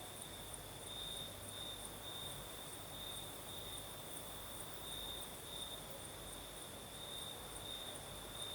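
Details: Crickets chorusing on a breezy night in southern Crimea: one steady, high, slightly pulsing trill fills the whole stretch, with a fainter upper shimmer over soft wind.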